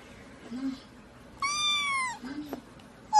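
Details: Domestic cat in a funny compilation of cats and babies, one long bright meow that holds steady then drops at the end, with soft low vocal sounds before and after and the start of another call.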